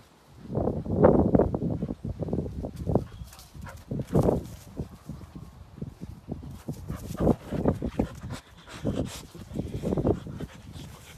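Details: Samoyed dogs at play, giving a string of low, rough woofs and grumbling bursts at uneven intervals, with louder peaks near the first and fourth seconds and quieter ones toward the end.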